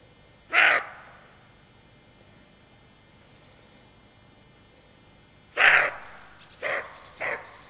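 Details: Roe deer doe on alert beside her fawn, barking: one short, harsh, hoarse bark, a pause of about five seconds, then three more barks in quick succession, over a quiet rural background.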